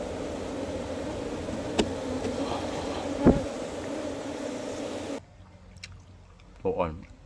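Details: Wild honey bees kept in a hive box buzz in a steady low drone, with sharp clicks of handling; the hum drops away after about five seconds, leaving quieter background and a brief voice.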